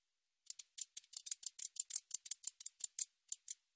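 A katydid gives a dry, high-pitched series of ticking clicks in rapid, uneven bursts.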